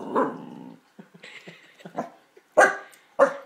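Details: A male corgi that dislikes some luggage gives a rough, pulsing growl that breaks into short, sharp grumbling barks; his owner had never heard him growl this much before.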